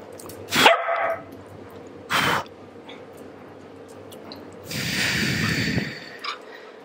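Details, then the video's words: Female Pembroke Welsh Corgi, a pet, barking in disapproval while being mildly annoyed. Two sharp single barks about a second and a half apart, followed by a longer stretch of rustling, hissing noise. "Disapproving Corgi"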